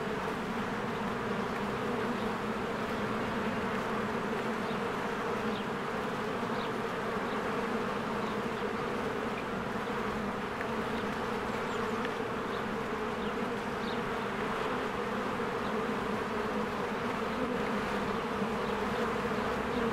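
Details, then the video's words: Honeybees swarming in and out of their hive in spring; unbroken buzzing hum of many wings with layered low tones, and scattered faint high bird-like chirps over it. "1 Hour of a Beehive ASMR"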